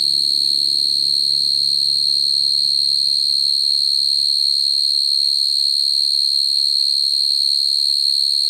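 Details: Field cricket calling females at night, a sound used for trapping crickets: a steady, high, unbroken trill throughout, with a low hum in the first half that fades away.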